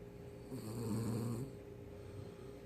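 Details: Daebak, a very tired poodle, asleep and snoring unusually loudly, recorded close up: a single low, rumbling snore lasting about a second with a throaty buzz, then soft, quiet breathing.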